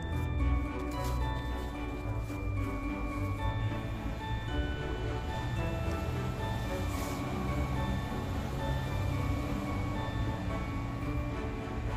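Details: Soft, sustained background music over a low hum, with faint ticking and rustles and no animal voice.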